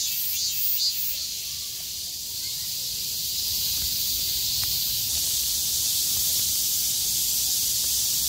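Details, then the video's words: Cicadas singing in chorus on 6 August 2020 as the sky clears after heavy rain, survivors of the downpour calling at full strength; a steady, dense, high-pitched hissing buzz fills the whole clip with no breaks. "매미들의 합창"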